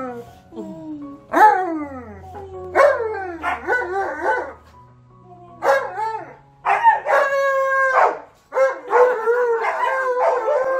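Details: Alaskan Malamute and husky howling together indoors, excited after being reunited with a friend; yodelling howls that swoop down and up, several overlapping bursts with brief gaps, loud and harmonically rich.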